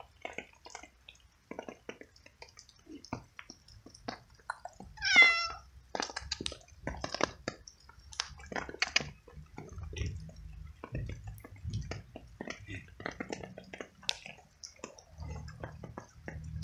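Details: Wet stray cat living alone on the street, eating small pieces of cooked veal at night in steady rain, meowing with happiness as it ate; one clear rising-falling meow midway, surrounded by chewing and the patter of rain.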